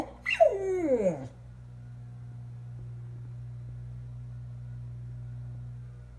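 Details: A 6.5-year-old male standard American Eskimo Dog, watching an old video of his late housemates howling, gives one short mournful howl, starting high and sliding into a low harmonic moan, over a steady electrical hum.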